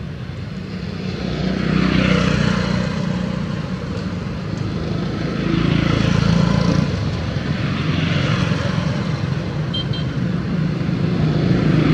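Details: A steady engine drone, like a passing aircraft or vehicle, rises and falls outdoors, with no animal voice standing out.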